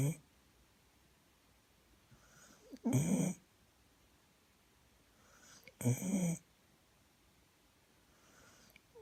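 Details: Poppy, a pet dog, snoring indoors on Christmas Eve: two loud, rough snorts about three seconds apart, with fainter breaths between them in a quiet room.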